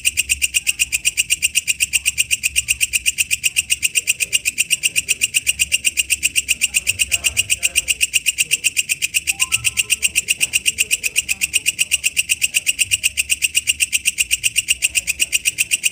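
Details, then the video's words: Wild walang kecek katydid singing in the wild: a steady, harsh buzzing pulse repeated about four times per second, dense and high-pitched, continuing without a break over a faint low background rumble. "suara asli walang kecek dialam liar"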